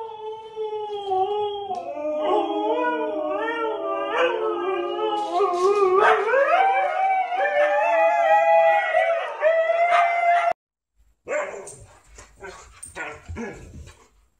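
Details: Siberian Husky 'talking' in long, wavering howls, the pitch sliding up and down in smooth bends and more than one voice seeming to overlap; a sudden cut near the end gives way to brief scuffling noise.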